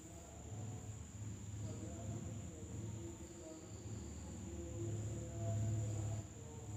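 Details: Insects calling at night in an Indonesian village: a steady, thin, very high-pitched trill that runs unbroken through the whole stretch, over a heavy low rumbling hum and faint murmuring mid-range sounds.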